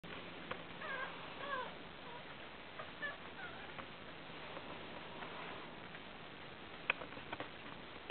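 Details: Five newborn Fell terrier puppies, a broken-coated Patterdale terrier, four males and one female, born that day on 29 July 2012; faint high squeaky whimpers with rising and falling harmonics, a few soft clicks over a hissing background.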